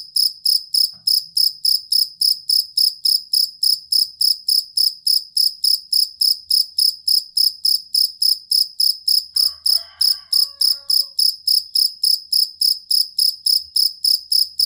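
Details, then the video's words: Jangkrik kalung or fighting cricket, kept as a tutor sound for training competition songbirds: loud, steady chirps repeated about three to four times per second, a brief faint rustle midway. "Suara Jangkrik Master Burung"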